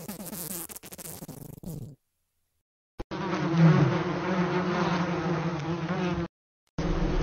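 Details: Flies buzzing in broken stretches separated by brief silences, a rough, low drone with a fuzzy texture.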